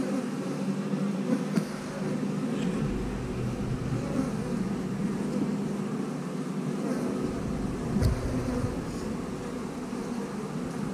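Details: Steady droning of a honey bee colony, the house bees, as queen cells stuck together on the comb are examined; a low, constant hum with occasional knocks from handling.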